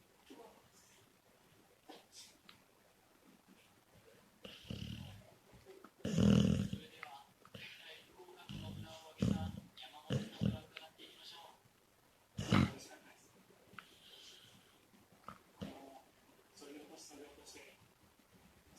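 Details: A female Labrador Retriever snores in her sleep, possibly dreaming, giving low, rasping, uneven breaths that swell into louder snorts now and then, with television voices murmuring faintly underneath.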